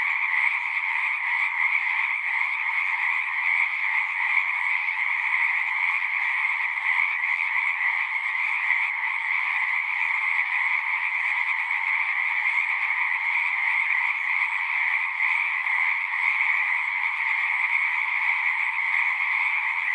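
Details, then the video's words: Frog chorus at a pond in a horse pasture, recorded with a Zoom recorder: a dense, continuous trilling wall of many overlapping callers, steady throughout with no pauses, bright bands near the upper-middle pitch range. "Frogs singing"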